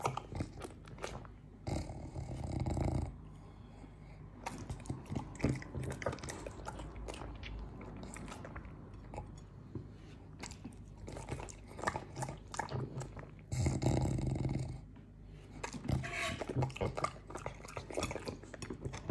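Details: French Bulldog named Morty eating up a tasty fruit plate, close-up ASMR; steady wet crunching and biting, several chews a second, with louder bursts of munching and short pauses between mouthfuls.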